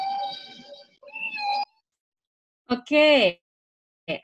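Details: Humpback whale song: tonal, harmonic moans, one sliding downward, separated by short silences.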